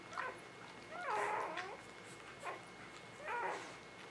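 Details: Spring 2017 newborn puppies giving a few brief whimpers: one longer wavering squeal near the middle, flanked by shorter thin cries, against quiet room noise.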